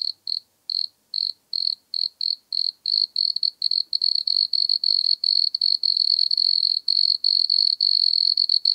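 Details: Wood cricket (Nemobius sylvestris), Austria, August 2022: high churring starts as spaced short pulses, then quickens into closely packed, nearly continuous trilling bursts, clean background.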